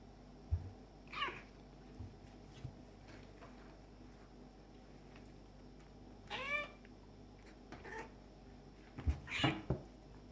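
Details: Play fighting between Tom, a black and white male cat, and a stray male kitten; several harmonic meows and cries come in bursts, some sweeping down in pitch, with thumps and scuffling between them.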